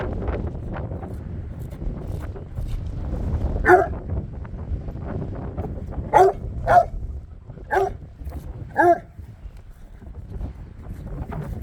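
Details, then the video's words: Dogs barking at a bare piece of ground over a steady low background rumble: five or six separate, short, clear barks spaced one to two seconds apart, each with a bright ringing tone. "Barking at nothing."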